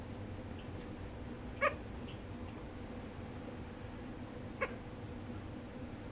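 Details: A sugar glider in deep sleep gives two brief, bright, harmonic cries about three seconds apart against a low, constant room hum.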